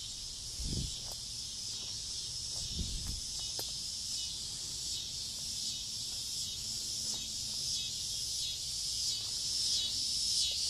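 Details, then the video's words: Cicadas landing in front-yard trees on a summer evening just before dusk keep up a loud continuous high buzz, with two low thumps early on and scattered clicks. "Noisy cicadas on a summer evening"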